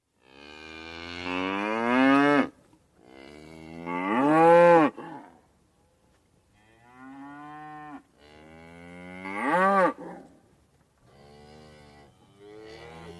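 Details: A cow moos repeatedly, giving four or five drawn-out bellows of about two seconds each with short pauses between. Each rises and strains toward a harsh peak before breaking off. The last calls are softer.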